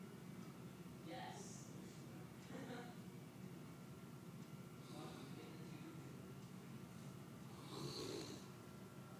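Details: A 190-pound St. Bernard asleep indoors, snoring in rough, breathy bursts recurring every two to three seconds, with a quiet low hum between breaths.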